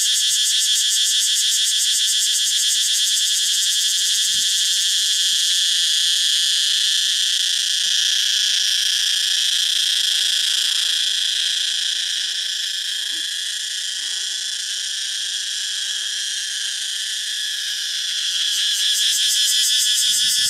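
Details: Male cicadas of the Thai jungle calling loudly to attract females: an unbroken, shrill, high-pitched droning buzz lasting twenty seconds, dipping slightly in volume midway, then swelling back with a fast pulsing flutter at the close.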